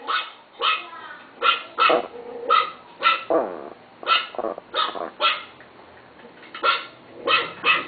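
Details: Chihuahua at home barks in a steady series of short, shrill yaps, several in quick pairs, with a short lull before the final few barks.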